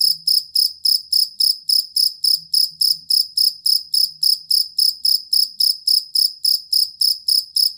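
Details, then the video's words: Steady, shrill chirping from a collar or fighting cricket used as master sound for training songbirds; bright high pulses follow each other roughly every quarter second, long and stable, with a quiet background. "Suara Jangkrik Master Burung"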